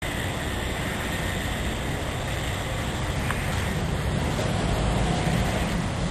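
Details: Constant broadband roar of wind and passing traffic outdoors; no animal sound.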